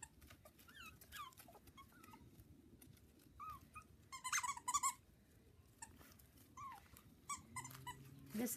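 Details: Havanese litter of four female and one male puppies born October 1st, kept indoors with toys. Scattered thin whimpers, some rising and falling, break through a quiet background, then louder squeals near the end with a low voice-like hum.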